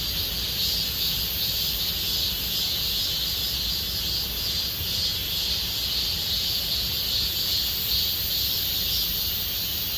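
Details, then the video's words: Cicadas in Gomsol Nuri Forest, Sihwa district, as summer deepens, keeping up a continuous high, sizzling buzz that gently throbs in waves roughly every second, with low rumble beneath. "곰솔누리숲의 매미소리 Cicada sound of Gomsol Nuri Forest"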